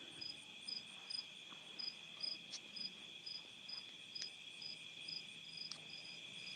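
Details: Crickets in a night chorus outdoors at a farm in Nauvoo, Illinois, USA, 2021, with cicadas and tree frogs also heard; high chirps repeating about twice a second over a steady ringing trill.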